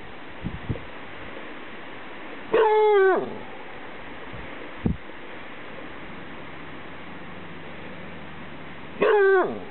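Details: Two long, descending howl-like barks about six seconds apart from a dog barking at the wind in Gateway Natural Area near Greeley, Colorado, with steady wind noise throughout.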